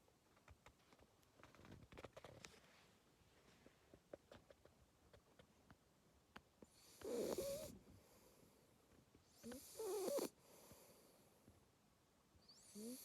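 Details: Two-month-old Labrador Retriever puppy asleep and snoring: after a quiet stretch of faint clicks, two raspy, breathy snore bursts about three seconds apart, with a third beginning right at the end.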